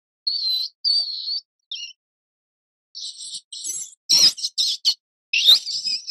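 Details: Mouse squeaking: thin, high tonal squeaks, some level and some wavering, come in short bursts, the later ones denser and harsher, mixed with a brief rustle-like scrape.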